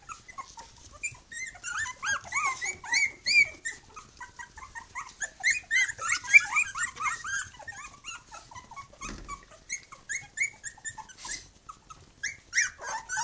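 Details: Chorus of three-week-old puppies beside their mother Bhoomi, a Khyi-Mi litter: many rapid high-pitched squeals and whimpers tumbling over one another, with a brief low thump near the middle.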